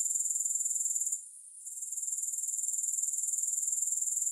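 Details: Grasshoppers buzzing shrilly without music; the rapid, even pulsing cuts out for about half a second early on, then returns and builds back to a steady high hiss.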